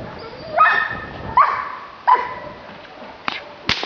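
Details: Giant Schnauzer, Blackmoore, giving three harmonic barks in under two seconds, each a rough, mid-pitched bark, followed by sharp cracking snaps and some background hiss.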